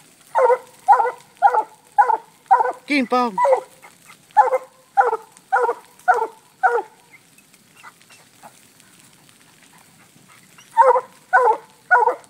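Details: Black and Tan Coonhound named FOG treeing a raccoon released from a cage: steady chopped barks about twice a second, broken near the third second by a drawn-out bawling howl, then a pause and renewed barking.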